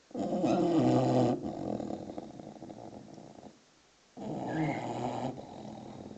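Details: Sleeping English bulldog puppy, six months old, gives a deep rattling snore lasting over three seconds, then a short silence and another throaty snort; a brief bird chirp is heard over the second.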